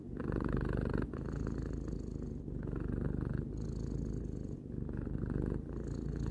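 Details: Purring of a three-year-old domestic cat, recorded for relaxation: a steady low rumbling purr with fine rapid pulses, swelling in breath-long phases of about one to two seconds with brief dips between inhale and exhale.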